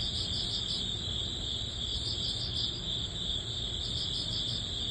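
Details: Early-autumn grass insects, crickets, singing together at the end of summer. Dense high-pitched trilling with quick rhythmic chirp pulses on top, unbroken, with a soft low hum underneath.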